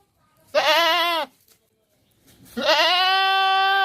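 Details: Two wavering goat bleats from a farm setting, a shorter nasal one followed after a second's pause by a longer, steadier bleat that carries to the end.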